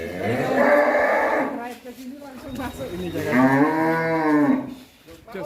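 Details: Big fat cow in an Indonesian cattle shed lowing twice: two long, loud, harmonic moos of about two seconds each, the second wavering and falling, with some faint background noise.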